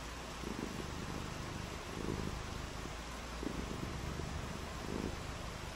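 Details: Purring from cats frolicking in the rain: four low, rumbling bursts roughly every one and a half seconds, set against a constant hissing background.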